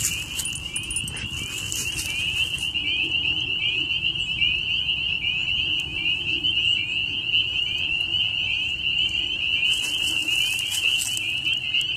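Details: Continuous shrill chorus of frogs, many trilling together without pause, with short bursts of hissy rustling near the start and end; the dog Bijou is fascinated by these eerie sounds.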